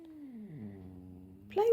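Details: Pet cat calling while meeting his little brother for the first time: a low, steady moan that slides gently downward, then breaks into a louder, brighter cry at the end.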